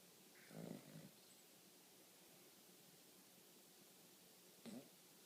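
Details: A Cavalier King Charles Spaniel asleep indoors and snoring; two short, soft, low rasping snores about four seconds apart, with quiet room tone in between.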